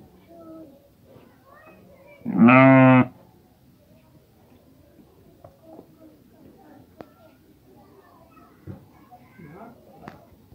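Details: A sheep that has just given birth to a female lamb gives a single loud, wavering bleat lasting under a second against quiet background murmur.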